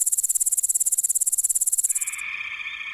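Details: Wild grasshopper sound: a rapid, very high-pitched pulsed buzz of about two seconds, its ticks evenly spaced, then a switch to a steadier, lower, continuous whine to the end.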